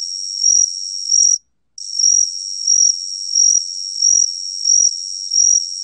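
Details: Continuous shrill buzzing of the Gaksi-gwitturami cricket from Korea's National Institute of Biological Resources, 2020, rhythmically swelling about every 0.6 seconds, with one short gap early on.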